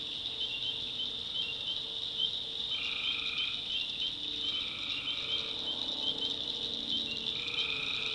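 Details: Tree frogs at night in a North Carolina swamp: a steady high-pitched chorus, with repeated lower held notes of under a second overlapping from several callers.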